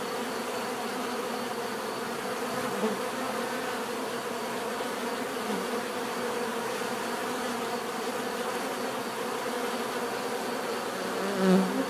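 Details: Natural buzzing of bees, a continuous layered drone from many insects that holds steady throughout, one louder low hum passing close near the end.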